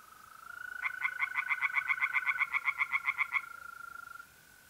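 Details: One burst of around eighteen quick, evenly spaced rasping notes from a tree frog in a pond on an April night in north-eastern Italy, set over a continuous, pure-toned mole cricket trill that carries on after it.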